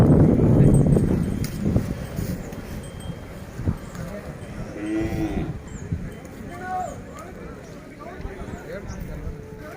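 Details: Hallikar cow at the Siddaganga cattle fair in Kyathasandra, Tumakuru, opens with a loud, deep, low-pitched moo in the first second, then men's voices talking and general fairground bustle fill the rest.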